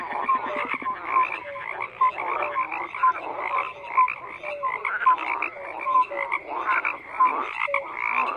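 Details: A frog chorus of continuous rough croaking, with short clear tonal notes repeating about once per second over the top.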